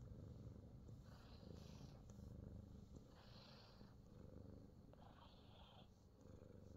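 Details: A Himalayan Persian cat in New Zealand purrs while receiving a full-body massage, a steady low rumbling purr that runs throughout, with soft rubbing and rustling sounds from the massage coming and going.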